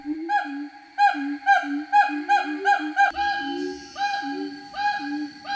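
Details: Asian gibbon, a mother answering in a back-and-forth chorus that keeps going. Hooting notes, some rising and some falling, repeat about twice a second over layered harmonics, with background music.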